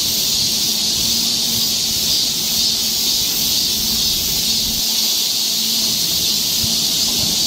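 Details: On a summer forest trail in Seoul, Korea, a steady wall of high, hissing cicada drone fills the air without pause, with a faint low hum running beneath it.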